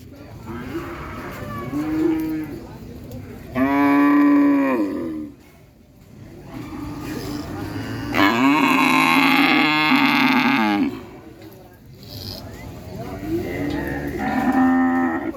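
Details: Cattle mooing in a series of long, drawn-out lowing calls, each a second or more, with strong harmonic bands, separated by short quiet gaps; some calls rise then fall in pitch.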